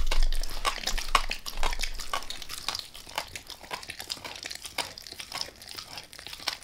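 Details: Close indoor recording of Max the dog eating a beef rib: crunchy, crackling bites and tearing sounds, loud at the start and then quieter, steady gnawing, with no speech.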